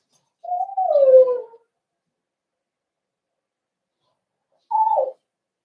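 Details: Cavalier King Charles Spaniel puppies in a home puppy pen, socialized with several older household dogs on 12/13/22. One long falling whine lasting about a second, a pause of three seconds, then a short downward whimper in a quiet room.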